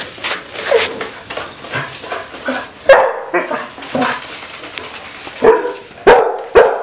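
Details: Basset Hounds, pet dogs shown confronting toy robot dogs, give loud, irregular barks and baying yelps, some spaced and some in quick bursts, with scuffling and rustling noises between them.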